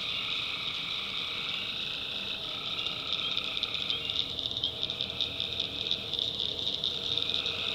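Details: In a North Carolina swamp at night, tree frogs form a dense, shrill chorus. Mid-range trills rise and drop away repeatedly, and a steady insect-like hiss runs throughout.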